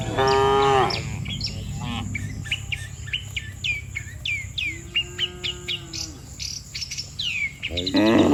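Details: Dozens of cattle lined up in rows on a road, calling the herd to return home to the barn. Two deep harmonic moos, one opening and one closing, and a softer moo midway. Many high chirping birds call throughout.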